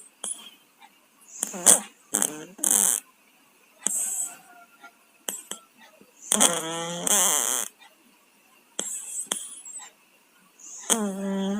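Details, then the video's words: Domestic cats Tayen and Lilu, both sick with colds, snore while asleep indoors: congested, buzzy breaths in irregular bursts, some carrying a low humming tone that slides downward, separated by quiet pauses and brief hissy exhalations. "KUCING PILEK, TIDURNYA NGOROK"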